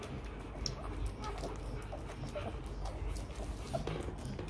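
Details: Hungry Rottweiler puppy crying for milk, begging its mother to feed it: short, thin whimpers and whines rise in scattered bursts over a steady low rumbling background with occasional clicks and knocks.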